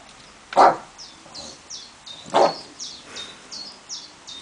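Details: Two loud, abrupt barks about two seconds apart from an English bulldog confronting a tiger, while high, repeated downward-slurred bird chirps run steadily in the background.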